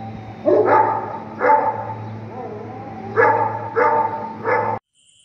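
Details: Bully Kutta dog from Punjab, Pakistan, used for hunting, gives five loud, gruff barks spaced about a second apart, one soft whine between them, a steady low hum beneath, then an abrupt cut.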